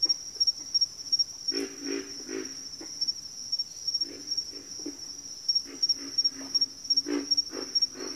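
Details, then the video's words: Frog chorus of short, low, throaty grunts in loose clusters of two or three, with quiet gaps between, over a steady high-pitched whine that runs the whole time. "Frog Chorus"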